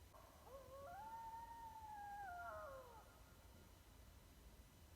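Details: East Texas coyote howling: a smooth tonal howl sweeping up, holding steady for over a second, then sliding down, with faint overtone layers above and a steady low rumble of background noise.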